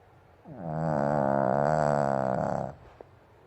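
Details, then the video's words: Indoors, a Pomeranian sleeps soundly in a banana bed and snores like an old man: a drawn-out rasping snore that swells in, holds a vibrating buzzy tone for about two seconds, then fades, followed by a faint click. "熟睡する犬から聞こえるおじさんみたいなイビキ Snoring dog like an old man"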